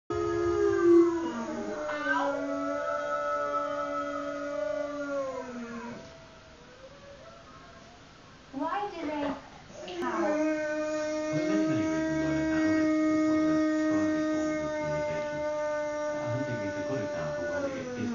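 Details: Boxer dog howling indoors: long, sustained tonal howls with rich stacked overtones, a first bout of about six seconds, a quieter gap with brief sounds, then a second steady howl lasting about eight seconds.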